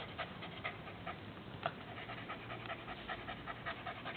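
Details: Dog panting as its tongue is being played with: a steady train of soft, breathy puffs, irregular in spacing, with a couple of sharper clicks, recorded close and muffled, no other sounds clear.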